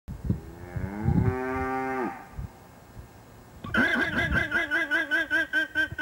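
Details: Cow mooing beside a llama that responds as if laughing: one low, drawn-out moo of about two seconds, then a rapid run of pulsed, bleating laugh-like calls from the llama repeated several times a second.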